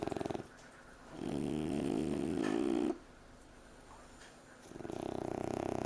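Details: Two French Bulldog puppies asleep on a couch snore in long, rough, rattling breaths with quiet gaps between them.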